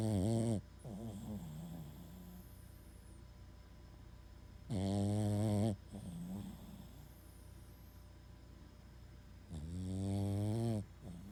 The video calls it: Max the Boston Terrier Snoring Like The Three Stooges